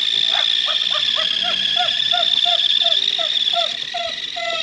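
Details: Pug sharing a home with a mastiff, reacting to a new toy that moves on its own and makes noise. A rapid run of short, high yapping barks, about three or four a second, over a steady high-pitched electronic whine.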